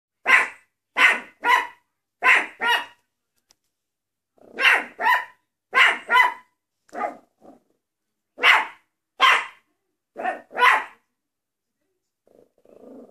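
A Maltese dog gives sharp, high-pitched yapping barks, mostly in pairs and short bursts.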